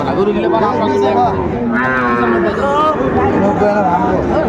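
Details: Mooing at a Kushtia cattle market in Bangladesh where Sahiwal bulls are traded, 16 January 2025: one rich, tonal low call lasting most of a second, nearly buried under steady human talk and haggling.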